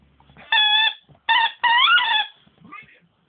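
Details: Nemo, a dog that squeaks instead of barking, gives three drawn-out high squeaky notes, the last one bending upward and then dropping, followed by a faint softer squeak.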